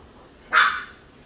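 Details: A single sharp bark from Oreo, a shy pet Chihuahua hiding in a corner against curtains and a wall indoors; one short bright yap with most energy in the middle-high range, cut off quickly.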